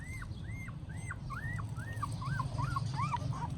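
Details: Newborn puppy, weak, in Siem Reap, Cambodia, giving a clear series of about ten high arched squeaky whimpers, each rising then falling, roughly three per second, over a low background hum.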